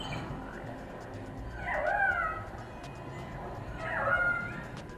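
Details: Orca sound played back at the La Caixa exhibit 'Érase una vez El Habla', used for communication and for echolocation to find schools of fish; two wavering whistled calls, rising then falling, about two seconds apart, over a soft room hiss.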